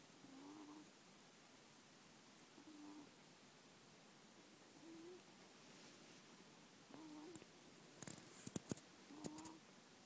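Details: Middle-aged pet ferret snoring softly while asleep indoors, recorded on an iPhone in January 2014; short, quiet, nasal puffs like "poo-poo-poo" come roughly every two seconds, with a few faint rustles near the end.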